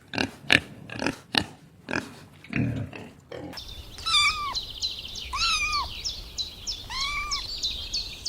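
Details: Kitten out on the grass chasing butterflies: after a run of rough pulsing noises, three arched, rising-then-falling meows sound at intervals of about a second and a half, accompanied by a string of short high chirps.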